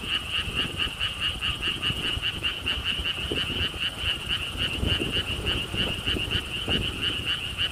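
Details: Croaking frogs at the Gwangokji lotus pond park in Siheung, South Korea, near a stone wall walkway. A bright, insistent rattle of rapid repeated pulses dominates, with light wind thumps below.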